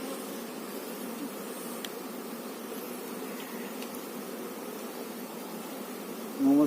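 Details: Honey bees at a kept hive during beekeeping work: a dense, steady, low hum of many bees droning continuously without pause, with a brief spoken word breaking in right at the end.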